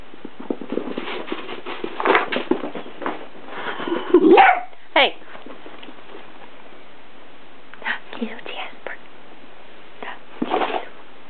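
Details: A Miniature Dachshund named Zoe, playing with another dog, Jasper, lets out scattered yips, snuffles and rough, growly barks, with one sharper rising yelp in the middle, while a person speaks quietly in the background throughout.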